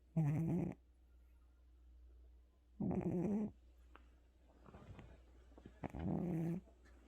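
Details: Tired pet cat asleep indoors after visiting the vet, snoring in slow rasping breaths about three seconds apart, each low and rumbling, with faint small noises between.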